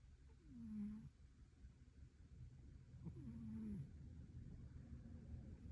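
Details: Sleeping calico cat snoring softly: two drawn-out breaths with a low, slightly falling tone, about three seconds apart, over low rumbling background.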